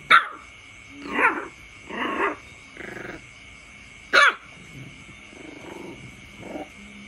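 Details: Puppy barking at its father, born of a brother-sister pairing: sharp yappy barks in uneven bursts, some rising into growls, a loud bark near four seconds, then quieter grumbling barks over a steady high background tone.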